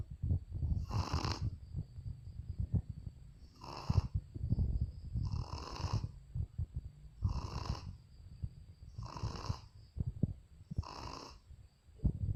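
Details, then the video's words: Sleeping Shih Tzu, Luna, snores soundly; regular wheezy rasps recur about every one and a half seconds over a constant low rumble and a thin steady whine, each breath a brief noisy burst. "Video Lucu Anjing Shih Tzu Ngorok"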